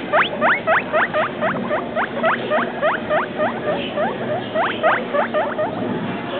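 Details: Pet guinea pig owned for just over two weeks, wheeking loudly: quick upward-sliding squeals in clustered bursts of three to four per second, with short pauses between groups and faint background hum.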